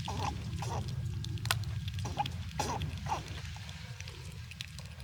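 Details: Several squirrels cracking and chewing nuts in cold winter weather, jostling one another; sharp crunching clicks recur roughly twice a second above a constant low hum.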